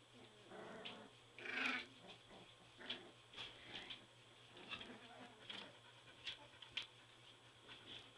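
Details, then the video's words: Border Collie puppies aged three weeks, filmed in their whelping box, give a strong rising squeal followed by a run of short, thin whimpers and squeaks, spaced irregularly, over a faint indoor hum. "2 Minutes of Border Collie Puppy Drama!"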